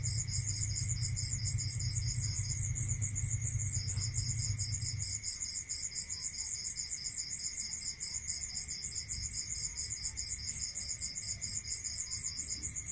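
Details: Rural crickets at night produce dense, evenly pulsed high trills in two layers, one dropping out for a second early on, over a steady thin tone; a low rumble fades after about five seconds.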